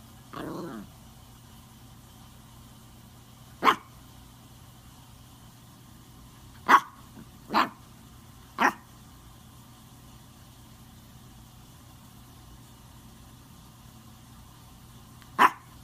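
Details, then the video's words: A Maltese bringing its ball and asking for a game of fetch gives five sharp single barks spaced irregularly, two to three seconds apart, after a brief rustle at the start; a low electrical hum runs underneath. "Maltese Dog Wants To Play Fetch"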